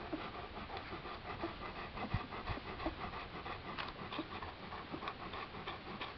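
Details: Seven-day-old Great Pyrenees pups feeding at breakfast: soft, rhythmic suckling and panting noises, about three per second, with scattered faint clicks over a steady low hiss.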